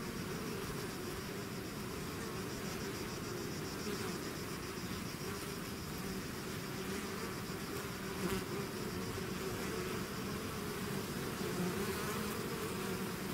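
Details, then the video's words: Constant buzzing from a bee swarm that has left its hive, a layered hum with faint wavering tones and brief louder passes of nearby bees, unbroken from start to end. "bees therapy swarm natural buzzing sound"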